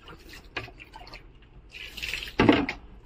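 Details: Dripping and splashing water in a small indoor room, with soft taps and a louder burst of splashing near the end, and no animal voice.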